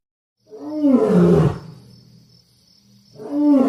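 A lion gives a deep, harsh roar that swells and fades, then a second roar begins.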